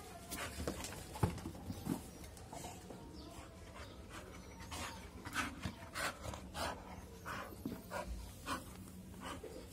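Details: Rapid rhythmic panting from an American Bully in Rewari: short breathy puffs repeat irregularly, about one and a half per second, over a constant low background hum.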